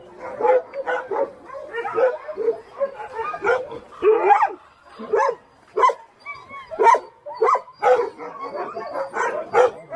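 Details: Alaskan Husky sled dogs at Snowhook Adventures in Willow, Alaska, while teams are readied: sharp barks and high yips in quick bursts roughly every half second, with brief whiny notes and short pauses between volleys.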